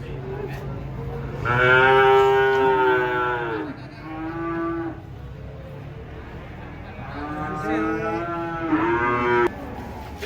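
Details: Big cattle being offloaded from a truck. Two drawn-out, richly harmonic moos about five seconds apart, each breaking into a lower, shorter tail, over a low rumbling background.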